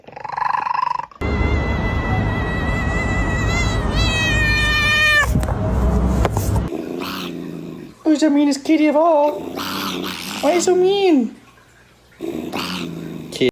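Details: Domestic cat making strange sounds: a long, steady, strained yowl, then several wavering rising-and-falling meows, with a person talking and background music.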